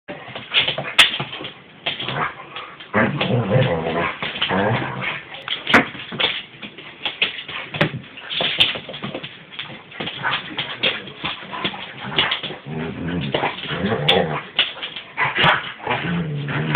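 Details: Alaskan Husky and Alaskan Malamute playing together, recorded on an Android phone; rough, throaty growling and whining vocalizations come in dense, uneven bursts that rise and fall throughout, with short yelping peaks.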